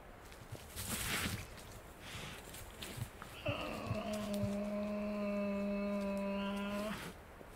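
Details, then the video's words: Wild Tasmanian devils feeding at night in the Tasmanian bush. After rustling, a steady droning growl with a rich, even tone holds for about three and a half seconds, then stops abruptly. "Tasmanian Devil Sounds - Growls & snarling calls from wild devils in the Tasmanian bush"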